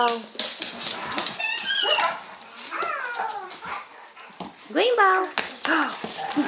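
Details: Greenbow, a 12-week-old, 30-pound golden retriever/German Shepherd mix puppy in foster care in Troy, Illinois, playing with his pals: a run of high, squealing yips and whines with bending, rising-and-falling tones in bursts, plus scuffling sounds.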